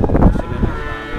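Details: Cattle at the Kliwonan cattle market (Pasar Sapi Ngadiluwe) in Kediri, East Java, Indonesia, where Limousin, Simmental and Pegon cattle are sold. A short, deep, rough lowing sound fades quickly into harmonic murmur.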